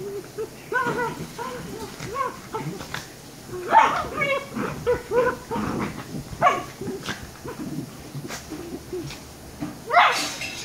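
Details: Pair of 114-day-old Shiba Inu puppies whimpering and whining in a steady stream of short, wavering cries, with sharper yelps near four and ten seconds; a faint background hum throughout.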